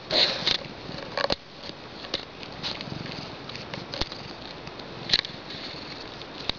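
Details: A female pet cat purring, a soft low continuous rumble running under scattered clicks and handling noises, with brief sharper rustles near the start and toward the end.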